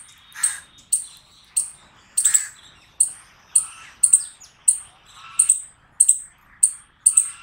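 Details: Squirrel barking loudly in a string of shrill, clipped chirps, single or in quick pairs and triplets, spaced about half a second apart, with soft lower chatter underneath.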